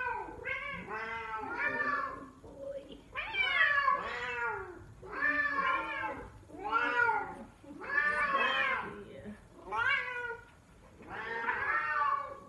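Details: A male silver F4 Savannah cat gives loud, drawn-out, lion-like yowling calls that rise and fall, repeated every couple of seconds.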